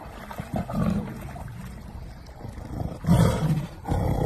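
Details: Tiger protecting its ball during an encounter with a lion: low, rumbling growls in short bursts, with a louder roaring outburst near the end.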